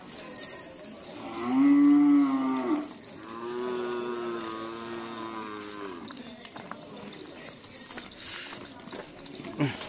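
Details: Bulls training for karapan sapi racing at the Asemanis field, Pamekasan: a loud, level moo of about a second, then a longer, softer drawn-out moo, over background voices and crowd noise.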